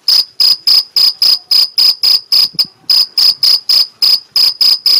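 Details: Shrill, regular chirping of a Mediterranean field cricket from the Algarve, Portugal, about four bursts a second, with one shortened chirp and a brief hitch around the middle before the rhythm picks up again.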